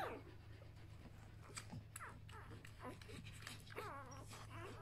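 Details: Newborn Samoyed puppies, one day old, from a B litter, give thin rising whines and a wavering squeal near the end, among scattered rustles and clicks over a constant low electrical hum.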